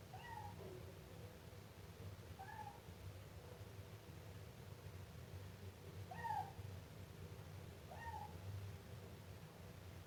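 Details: Siamese kitten meowing in a series of four short, bright cries spaced roughly two seconds apart, with a low constant hum underneath.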